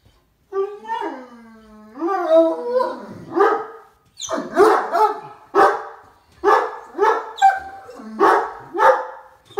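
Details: Two excited Great Danes waiting for their owner to come home: a rising, wavering howl-like whine opens, then a run of loud, deep barks about every half second to a second.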